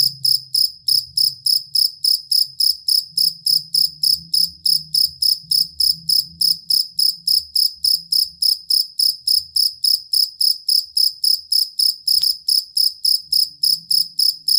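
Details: Steady, long chirping of a cricket known as jangkrik kalung or fighting cricket, used as a master for contest songbirds: high, buzzy pulsed chirps repeating regularly near three and a half per second, with a brief click and faint low noise.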